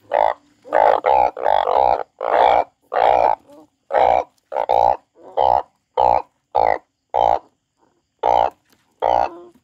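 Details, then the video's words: A crying frog repeats short, harsh, nasal croaks, about sixteen over ten seconds at an uneven pace, some clustered in quick pairs and others spaced by pauses, against a quiet background. "The frog crying"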